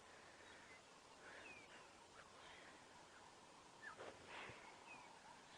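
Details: At sunrise on a safari drive, 20 October 2016, alert impala give sharp, barking alarm snorts in short bursts. One keeps alarm calling, possibly at a leopard, while others ignore it. Faint bird chirps in the background.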